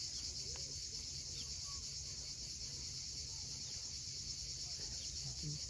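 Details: Cicadas at sunset on the steep coast of Cape Fiolent, Crimea, keeping up a steady, shrill buzzing drone without pause, while a low rumble of sea waves runs underneath.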